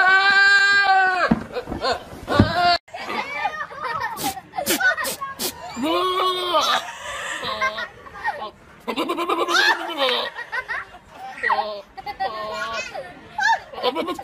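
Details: Goats screaming repeatedly: a long, loud nasal bleat opens, then several shorter arched and wavering cries follow over about fourteen seconds. Human chatter, laughter and sharp clicks mix in throughout.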